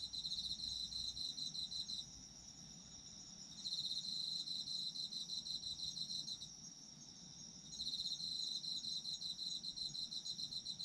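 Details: Autumn insect chorus: bright, rapidly pulsed trills run for about two to three seconds, then briefly drop away before resuming. A steady high whine from another insect fills the gaps, over a faint low murmur.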